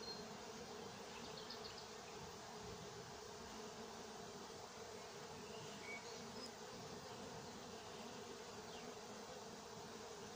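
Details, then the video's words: Summer 2021 apiary at Nowa Aleksandria, honey bees busy at work; an unbroken droning hum centred low-mid, even in loudness, with a few thin bird notes flickering high in the background. "Nowa Aleksandria pasieka pszczoły pracują lato 2021rok."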